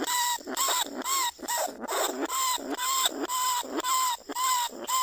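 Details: In a cage trap in rice fields at Na Lao, Nong Khu Phai, a lesser bandicoot rat gives rhythmic, reedy squeals. The notes come roughly twice a second, and some end in an upward flick. The calls are used to draw other rats out.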